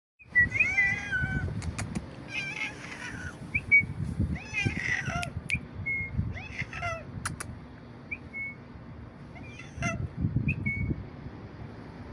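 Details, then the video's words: A cat making an odd sound: a run of short, high chirps and quick warbling trills, some rising and falling, scattered over twelve seconds with soft low rumbling and faint clicks in the background. "The odd sound.."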